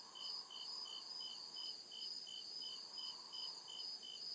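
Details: Night-time cricket chirping from deep forest: evenly spaced shrill pulses, roughly two each second, layered in two high bands, with a faint broad murmur beneath.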